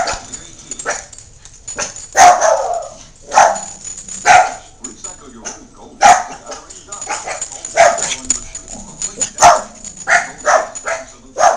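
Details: Excited Miniature Pinschers and a Jack Russell Terrier bark over and over, sharp yaps coming about once a second in uneven runs. Quieter scuffling and faint voices fill the gaps.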